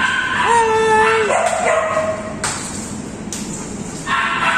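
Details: Chloe, an Alaskan Malamute, with her friends: a drawn-out, tonal woo held steady, then stepping up to a higher pitch before breaking off. A brief bright burst near the end, with light background hiss.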